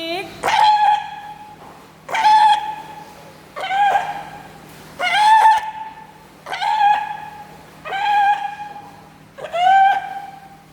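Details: A fur seal-type sea lion gives loud, high, long shrill wailing calls, repeated about every one and a half seconds.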